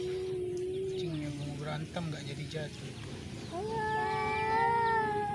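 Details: Cats squaring off in a fight give a drawn, falling moan, then after a quieter gap with faint murmurs a steady, rising howl that holds on; a human voice may be faintly mixed in.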